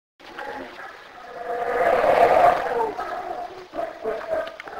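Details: In Belize, a black howler monkey gives a deep, rasping roar that swells to a peak and then tapers off.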